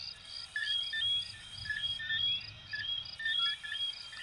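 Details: Numerous coquí frogs from Venezuela and Puerto Rico call together: short sharp chirps and rising whistled notes stack at different pitches and recur about once a second, over a soft low hum.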